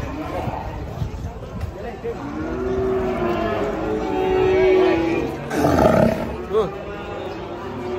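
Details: Cow being unloaded from a truck, its voice described as scary and startling; a long, low, droning moo swelling over several seconds, followed by a harsher burst, with talking and music around.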